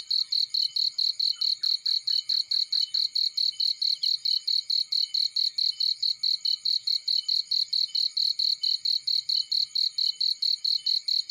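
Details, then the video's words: Cricket in a field, shrill high chirps pulsing steadily about four times a second without pause; a brief run of fainter lower ticks near the start and soft low crackling beneath. "Warm Relaxing Fireplace In Field || Burning with Cricket Sounds"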